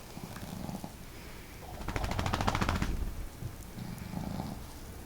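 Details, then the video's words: Indoor snoring duet of pet dogs Marimo, a female with a hearty snore, and Daigoro, whose snore is modest; a loud, rattling, fluttering snore swells for over a second between softer humming breaths. "可愛いイビキ snore"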